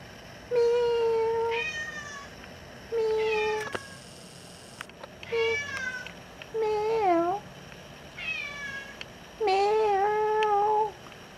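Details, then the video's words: Indoor female house cat, once abandoned, asking to go outside and answering her owner; a run of six meows, some long and level, others short and bending upward, with brief gaps and faint room noise. "CAT WANTS OUTSIDE TALKING BACK"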